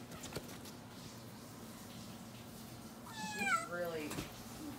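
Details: A baby male long-tailed (Java) macaque, playing and chasing a young green monkey indoors in a hotel, gives a cat-like meow, a harmonic cry that slides downward.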